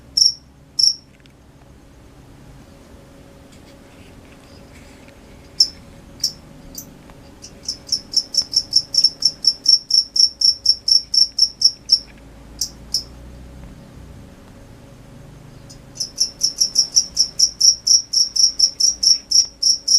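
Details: Crickets calling at night: scattered single chirps at first, then a fast, even train of high chirps, a few seconds of near silence, and another rapid chirping run.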